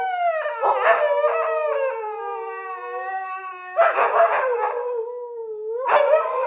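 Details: A Siberian Husky's morning howling session: long, wavering tones that slide gently downward, breaking into yelping bursts between howls.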